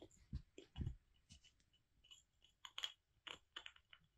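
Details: Molly, a pet squirrel kept indoors, gnaws a hazel branch: irregular dry crunches and sharp clicks, roughly one every two seconds, with short quiet gaps between bites in a small room.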